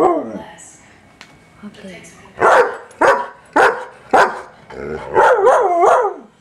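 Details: German Shepherd attacking a vacuum cleaner indoors: a few whining yelps, then four sharp loud barks about every second, followed by a run of rising-falling whiny barks and yowls.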